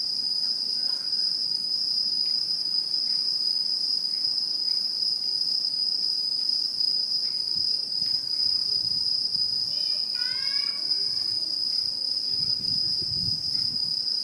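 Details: Autumn insects ring steadily in satoyama countryside, 2016, a level high-pitched drone throughout. Midway, a bird gives a short series of quick descending notes, and a soft low rumble rises near the end.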